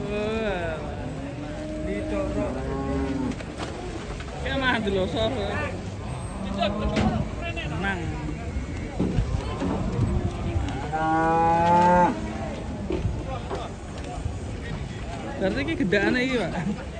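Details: A rampaging cow swimming in water in Indonesia, giving loud drawn-out moos that rise and fall, repeated through the scene, with a crowd of villagers shouting and talking around it.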